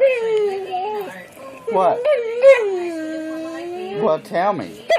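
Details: Pet dog answering its owner with a sing-song whine, one long drawn tone that dips and rises again, broken by a few short yelping bursts. A person's voice is faintly present.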